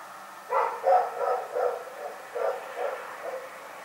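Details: Rex, a dog, barks in the night: a string of about eight hoarse barks roughly every third of a second, over a low steady background hum.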